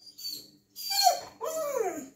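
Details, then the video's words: Baikal, a Siberian Husky pleading to go out, makes a brief whine, then a sharp yelp and a falling, arched, talking-like vocal, with a faint low hum indoors. "Хаски говорит МАМА / БАЙКАЛ просится на улицу"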